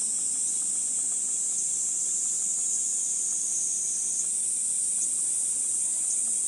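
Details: Continuous shrill droning of cicadas in Gifu Prefectural Centennial Park, Japan, on a hot 37°C July morning under dappled sunlight along the park path; the high buzzing stays steady and loud with slight pulsing and no other clear sounds.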